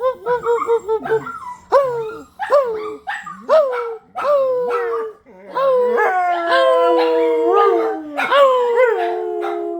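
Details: Several dogs howling together: short yelping wails rising sharply then sliding down in the first half, giving way to long overlapping sustained howls at different pitches from about six seconds on.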